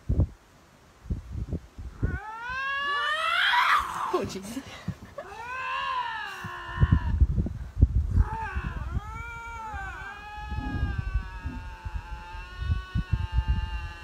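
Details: Aggressive vocal standoff between two lynxes, possibly over territory: a series of drawn-out, bending harmonic yowls and shrieks, some rising sharply, with rustling, clicks and a person speaking underneath.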